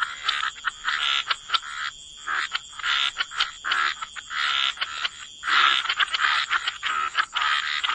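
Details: Waterside frog chorus in wetlands: bursts of rattling croaks lasting about half a second to a second, separated by short quiet gaps, with several callers overlapping and a constant thin high tone behind.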